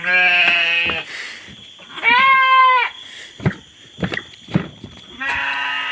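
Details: Goats penned at night: three drawn-out nasal bleats, the first and last steady and buzzy, the middle one higher and tremulous, with clattering knocks between them and a continuous high whine.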